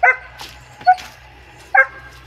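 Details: Three short, punchy barks from a double-coated German Shepherd, separated by brief quiet gaps, with faint rustling between them.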